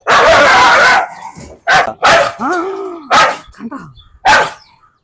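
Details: Dog barking during a leash challenge, with loud, harsh, broadband barks in irregular bursts about once a second, one with a rising-falling whine-like tone, and people talking.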